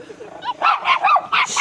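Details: Shiba Inus (mameshiba) at a dog-friendly glamping site in Wakayama give a quick run of sharp, high-pitched barks, several in under a second, while excited on arrival and greeting another dog.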